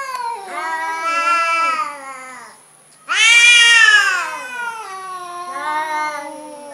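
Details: Orange cat described as cowardly, meowing in long wavering wails: a rising-falling cry, a louder harsher yowl, then a softer drawn-out meow, with no other sounds.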